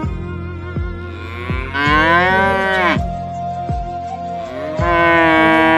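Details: Stray cows being fed in Haryana: a loud, drawn-out moo that rises and then falls, with another beginning near the end, set against a sad melody and a steady beat of background music.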